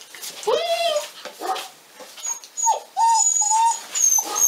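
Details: Litter A6 of Pyrenean mountain dog puppies, 46 days old, at La Borda d'Urtx breeding centre in Cerdanya, Catalan Pyrenees: several high, drawn-out whines and whimpers, some rising then sliding down, overlapping with brief soft yips and shuffling.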